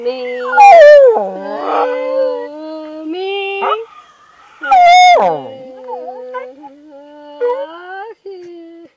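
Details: A rat terrier joining in vocal practice with a person, singing in drawn-out howls: sustained tonal notes with strong overtones, a loud sliding yelp-howl in the middle, and softer wavering tones trailing off.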